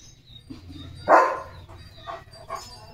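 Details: German Shepherd named Leo, bathed and having his coat dried at home, lets out one loud, abrupt bark midway, followed by a few softer, brief sounds later amid low household hum.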